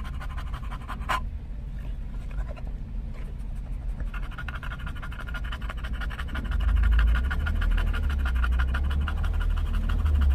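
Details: English bulldog on a trip through a Starbucks drive-thru in California for a pup cup, panting in quick rhythmic breaths. The panting becomes steady about halfway through, over a deep rumble of the vehicle.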